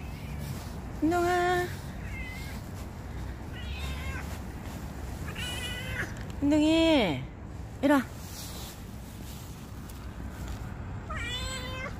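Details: Mischievous stray cat Ruby meows repeatedly: a steady mid-pitched meow, then a loud rising-and-falling cry, a short sharp yelp and a final wavering meow spread over twelve seconds, with quiet outdoor hum behind.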